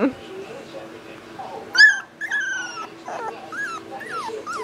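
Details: Young Boxer pup with one sharp, loud yip followed by a drawn-out falling whine and several shorter rising and falling whimpers, while people talk nearby.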